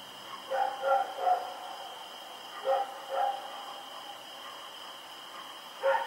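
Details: At night on Oct 7, 2018, Rex the dog runs around barking: a quick burst of three barks, then a pair, then a single bark, with a constant high-pitched hum behind.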